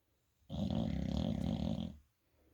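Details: Sleeping American Bully in bed giving a single deep, gravelly snore lasting about one and a half seconds, steady and rumbling, with silence before and after in a small quiet room.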